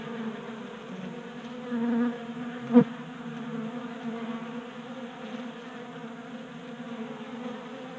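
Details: Honey bees feeding at a 3D printed feeder in a Colorado garage in January heat; constant low hum with a nearby bee's louder buzz around two seconds and a quick close fly-by whoosh near three seconds.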